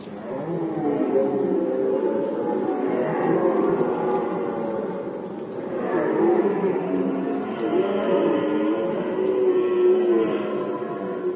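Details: Polish red deer in the 2020 rut give continuous, rich, harmonic roars that swell and dip, and several voices overlap. A fast, even, high pulsing sound lies under them.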